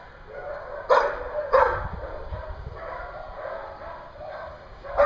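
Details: At a Hooksett, New Hampshire dog daycare on 21 April 2016, a dog gives two loud, abrupt barks less than a second apart over a steady din of other dogs, then another sharp bark at the end.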